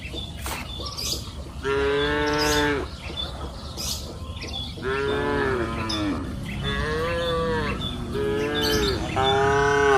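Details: Several cows mooing one after another across an open pasture hill on a warm afternoon, five rich, slightly wavering moos of about a second each, separated by brief pauses, with sharp bird chirps in the background.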